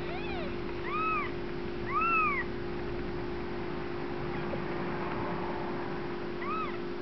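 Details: Newborn Bengal kittens from a first litter rolling around and playing; several thin, arching high meows, one near the start and others at about one, two and six and a half seconds, over a steady background hum.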